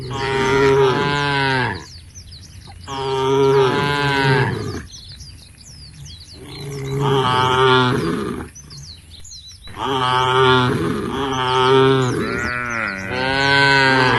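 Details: Tame domestic cows in a herd walking towards a field at the forest edge, lowing in long harmonic moos of about two seconds each, several in a row with short gaps; chirping birds heard in the background.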